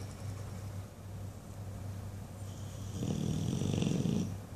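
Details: Buddy the English Bulldog, dreaming in his sleep, breathes quietly and then lets out a loud, grating low snore near the end, over a constant low hum.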